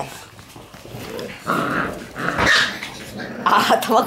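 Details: Shiba Inu puppies in a lively puppy room; low rough growls build into short, higher barks and squeals near the end, with a little background speech.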